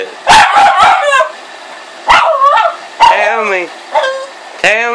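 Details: Boston Terrier crossed with Pug, known as a Bug, playing and asking for a toy: a volley of quick yaps followed by several spaced, whining barks with rising and falling tone over five seconds.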